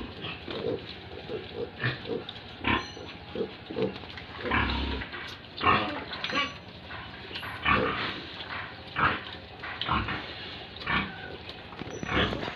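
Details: Pigs and piglets at a pig farm in Tripura, giving short, rough grunts in irregular bursts, some clustered close together, with brief gaps between. Faint voices mix in among the grunting.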